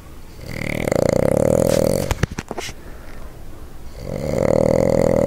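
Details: Sleeping Boston Terrier Jumpin Jack Flash snoring up a storm, a loud droning rattle broken by a few short snorting clicks before the rasping snore resumes.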